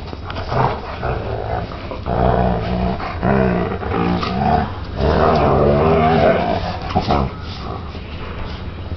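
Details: Mastiff mix playing with a foster dog indoors; rough, low growls and grumbling vocalisations rise and fall in uneven bursts throughout, with layered harmonic snarls, some human speech faintly in the background.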